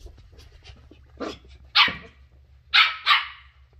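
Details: Shetland Sheepdog puppy Ollie, a curious 10-week-old female discovering new things, gives three shrill, bright yaps: one alone, then a quick pair about a third of a second apart, with a low thud and soft scuffling before them.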